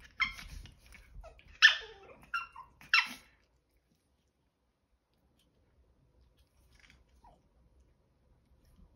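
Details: Five-month-old Chihuahua puppies, two males, caught in a failed stealing plan; a rapid cluster of four or five shrill yips with scuffling in the first three seconds, then near silence.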